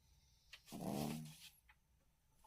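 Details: Yorkshire Terrier named Tory, tired, snoring indoors: one rough, drawn-out breath lasting about a second, low and rasping, with small clicks before and after in a quiet room.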